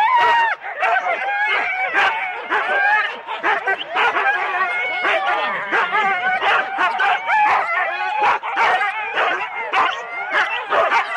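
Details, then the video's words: Four-dog Husky teams waiting at a sled race start, Rendlesham, January 2016: a dense, continuous din of many dogs barking and yelping together, sharp repeated barks over high whining yips, recorded on analogue cassette. "4 dog Husky teams - the complete start"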